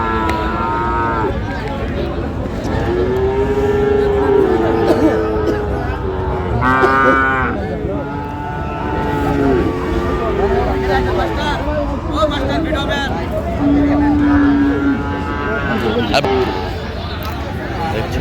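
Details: Cattle, Friesian and crossbred bull calves, at Aftabganj cattle market on 30 December 2025: several drawn-out, low, harmonic moos of a few seconds each, some rising slightly, over steady crowd chatter and market bustle.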